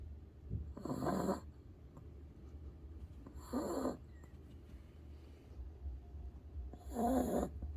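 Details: Pet dog snoring while asleep under a table as people eat; three rough, breathy snore bursts about every three seconds over a low steady indoor hum.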